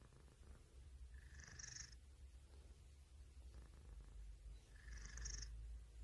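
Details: Domestic cat purring close up, a steady low rumble throughout, with a soft whistling breath sound at about 1.5 and 5 seconds.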